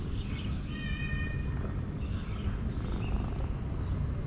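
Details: Petted male cat's loud, contented purr, a dense low rumble that continues for the whole stretch, with a brief higher tonal meow-like sound early on and faint bird chirps behind.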